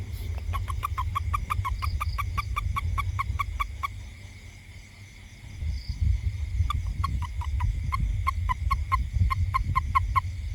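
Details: Toad in a garden around a house gives two long runs of rapid, evenly spaced clicking pulses, about six per second, over a steady high insect hum and low rumbling background noise.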